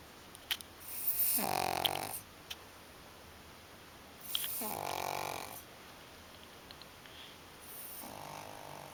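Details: Pug asleep and snoring, giving three drawn-out raspy snores spaced around three seconds apart, the last one quieter, with faint clicks in the pauses.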